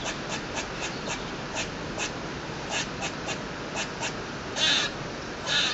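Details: Squirrel calling from a balcony, noisy and persistent: a fast run of short dry ticks, about four per second, then two louder harsh rasping bursts near the end, over constant background hiss.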